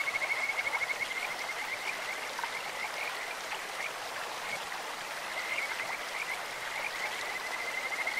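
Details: Clear-stream recording of a Kajika frog: a short high trill opens the clip, then steady rushing water, with softer trilling returning near the end.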